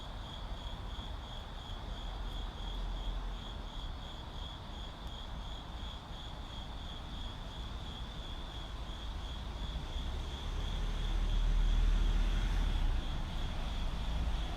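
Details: Steady, high, finely pulsed cricket trilling in a city, heard over low traffic drone that swells loudly near the end as a vehicle passes.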